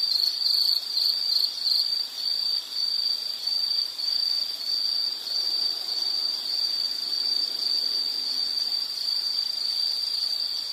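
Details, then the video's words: Continuous high insect trill for calm study or sleep listening, shrill and even, slightly stuttering early on before settling into a smooth, unbroken ringing tone with soft hiss beneath. "Nature Sound of nature sounds scenery L · insect"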